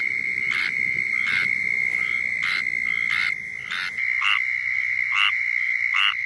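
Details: Squirrel tree frog giving its mating call in Florida: short raspy nasal notes repeated roughly every 0.8 seconds over a continuous high-pitched insect drone, with a steady hum in the background.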